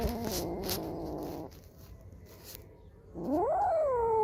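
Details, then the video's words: Domestic cat meowing: a short burst of harmonic mewing held for about a second and a half, a quiet pause, then a clear rising-and-falling meow near the end. "Cats Kittens Meowing Compilation 2021| Meowing Cats |Kittens Funny Meow Sound"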